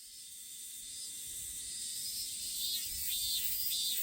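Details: Robust cicada, found outdoors, giving a continuous high buzzing drone that swells slightly in loudness, with pulsing rasps breaking through toward the end.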